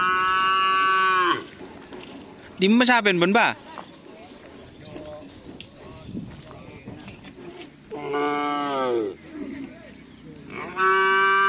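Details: Madura racing bulls of the karapan sapi tradition give drawn-out, strongly harmonic moos, about four calls spread across the stretch with quieter gaps between them, under background music and some talk.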